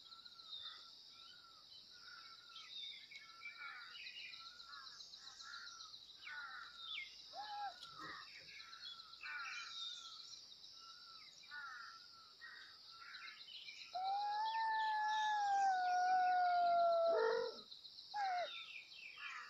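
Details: Kittens meowing loudly for their mother: a run of short, repeated high meows, then one long, loud, drawn-out meow lasting about three seconds that sinks slightly in pitch, over a constant high hiss in the background.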